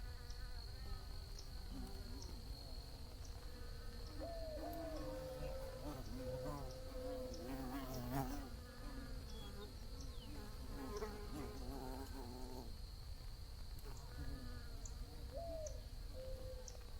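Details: Several bees buzzing together, producing overlapping low hums that drift in pitch and come and go. A steady high thin tone runs throughout, with a few faint brief chirps in the background.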